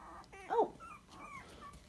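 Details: Young Dachshund puppy, 23 days old, indoors: a brief squeaky whimper rising to a sharper yelp, followed by softer thin whines trailing off.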